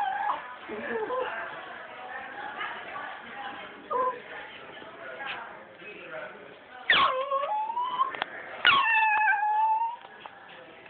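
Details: Puppies whining, with human speech in the background early on, then louder wavering whines and yelps rising and falling near the end.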